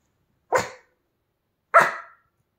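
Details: Pomeranian dog spinning around, giving two short, sharp, high barks about a second apart with silence between them.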